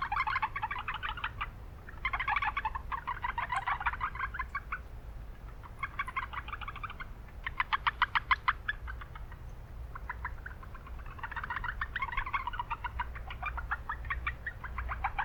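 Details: Chorus of Japanese brown frogs at an urban wetland with heavy background noise; short series of quick, pulsed croaking notes in separated bursts, a few sharper clicks standing out, over a constant low hum.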